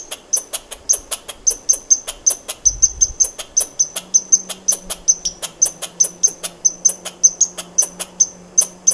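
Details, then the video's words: Long, unbroken series of crisp, high-pitched clicking chirps from a squirrel, about three per second and fairly even, with a short dull thump early on and then a low steady hum underneath. "Squirrel sound"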